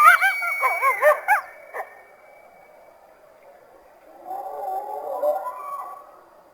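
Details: North American coyote uttering a fast run of wavering, high yelping yips that stop abruptly, followed by quieter, distant overlapping howls and yips fading away.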